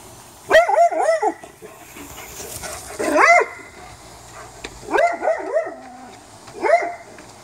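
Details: A dog barks late at night at a raccoon found in a backyard; four short bursts of harmonic, yelping barks spaced about two seconds apart, with a low steady background hum between them.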